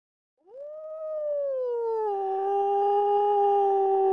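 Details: A British Columbian timber wolf howls in one long, pure-toned note that swoops up at the start, eases gradually lower, then holds a steady, slightly rougher tone to the end.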